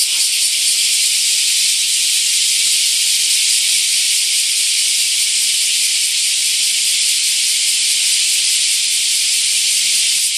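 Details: Bear cicadas in a deafening summer chorus among camphor trees at Daitokuji Park, Nagasaki; continuous high, hissing drone with little pulsing, unbroken from start to end.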